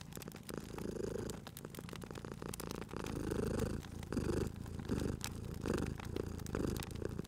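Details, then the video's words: Domestic cat sleeping by a crackling fireplace in a cozy spring setting, purring steadily with a low rumbling throb that swells and eases in breath cycles about once a second, overlaid by sharp pops and crackles of burning wood. "Cute Purring Cat at a Crackling Fireplace"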